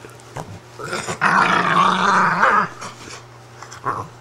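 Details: Upset female Italian greyhound indoors, protesting at being taken out of her bed: a steady low rumbling growl lasting about a second and a half, with brief softer grumbles before and after.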